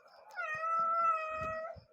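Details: Domestic cat meowing indoors: one long, steady, tonal meow lasting over a second, level in pitch with rich harmonics and a slight rise at the end, with faint tapping and rustling beneath.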